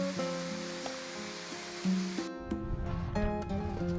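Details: Soft melodic music with sustained tones plays over a low rushing background like surf, with no animal sounds.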